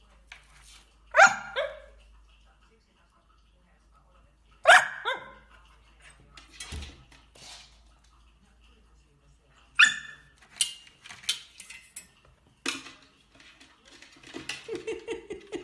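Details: Dachshund, a pet sausage dog, giving loud sharp barks in bursts: a pair near the start, another around five seconds, more at ten and thirteen seconds, then quicker softer yaps at the end, with quiet room sounds between.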